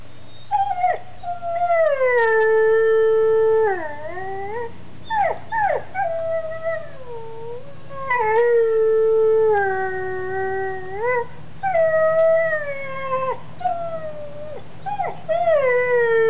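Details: Dog howling after receiving a lamb bone treat; long loud tonal howls that bend down then level off, broken by short sharp yips and whimpers, repeated in several drawn-out phrases.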